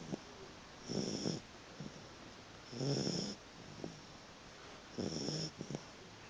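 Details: Puppy asleep and snoring, giving rough, rattling inhales at about two-second intervals, three in a row, separated by quiet wheezy puffs and small snorts.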